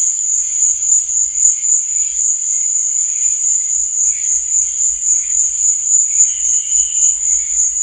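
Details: Night-time cricket chirping as a continuous piercing high trill, gently pulsing roughly four times per second, over faint lower wavering tones.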